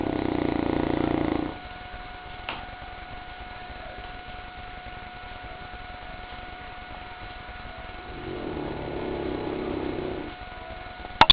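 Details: Sleeping St. Bernard called Goliath snoring: a rasping, pulsed breath at the start, then a quiet pause over constant electrical hum, then another softer drawn-out snore, ending with a couple of sharp clicks.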